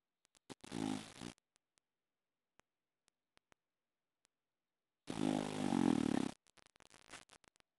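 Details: A male English Bulldog from Boston sleeps upside down on his back, snoring in two long, rattling, throaty breaths a few seconds apart.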